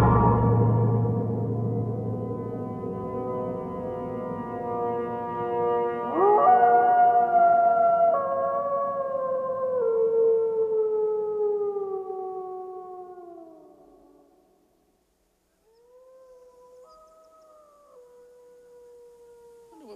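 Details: Wolf howl, given when lonely or to call friends: after a rough, noisy opening, a long tonal howl sweeps up, holds, then slowly falls away; a fainter, shorter howl follows after a brief silence.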